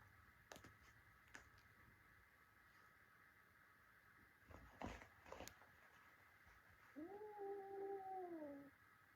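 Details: Young male cat fighting with his adult brothers lets out one drawn-out harmonic yowl near the end, wavering then sliding down, after a few sharp knocks and scuffles.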